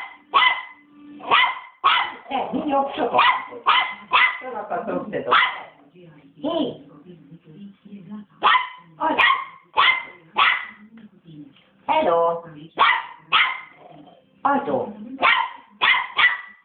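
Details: Angry three-month-old Westie pup keeps barking nonstop, loud shrill yaps in rapid bursts of three or four, with a short quieter stretch of softer murmuring sounds midway before the barking resumes.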